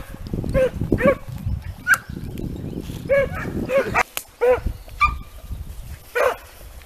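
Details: Segugio Italiano hounds in hare training give scattered ringing bays and a few higher yelps, partly masked by loud low rumbling and rustling noise.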